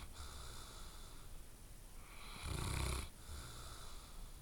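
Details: A sleeping dog gives a single loud, rasping snore lasting under a second, framed by quieter steady breathing in a small room.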